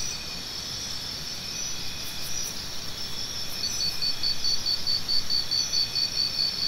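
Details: Crickets chirping over a steady high insect drone; from about the middle, one cricket gives a fast run of short, even, high pulses, roughly two per second, with a constant low rumble beneath.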